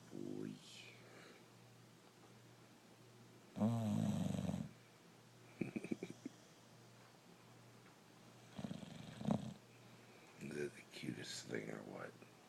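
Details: Brindle Boxer dog named Rokko snoring while asleep indoors: low, rasping snore bursts, one long buzzy snore near four seconds and shorter snorts later, with quiet room hum between and faint voices.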